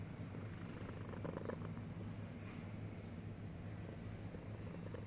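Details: Sleepy cat snoring in a continuous deep, even drone, with a few soft rustles near the middle.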